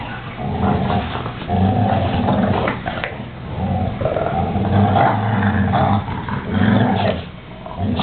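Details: Two male American Staffordshire Terriers play tug-of-war with a toy, giving deep, continuous harmonic growls that rise and dip in loudness over several seconds with brief pauses and a few sharper rasping moments.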